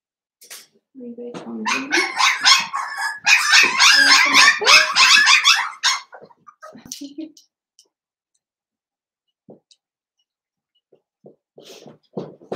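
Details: Litter of five blenheim Cavalier King Charles Spaniel puppies, seven weeks old, indoors in their puppy pen: a dense five-second burst of rapid, high-pitched yappy barks and squeals, then near silence with faint rustles.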